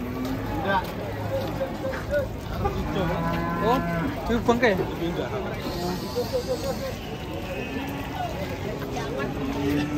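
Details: Several large cattle in a herd about to be loaded, with overlapping low moos of varied length, some bending downward in pitch, amid general pen noise and a steady low hum.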